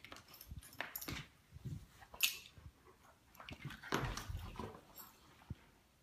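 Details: Two Great Pyrenees lazily play fighting indoors in a living room; scattered soft grunts, snuffles and brief whimpery sounds with rustling and a few sharp clicks, no loud barking.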